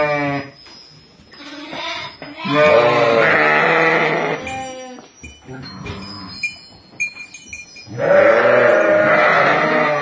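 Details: Sheep flock of ten ewes and four lambs at Kafr al-Labad in Tulkarm: two loud, long, shaky bleats of about two seconds, with softer scattered sounds and murmurs in between.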